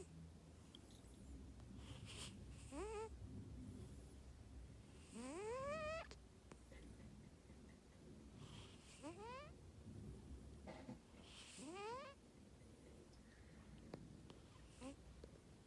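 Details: A sleeping cat snores loudly indoors: whistled, rising tones sound with each breath, about every three seconds, over a low rumbling background.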